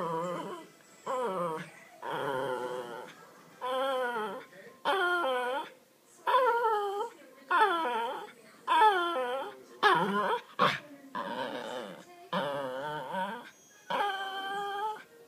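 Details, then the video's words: Cooper, a male Miniature Pinscher at home, whining insistently to be allowed to play with his laser toy: a long series of high, wavering, nasal whines, each under a second, repeated almost every second with brief pauses, one short yip among them. "Cooper the Min Pin - Begging"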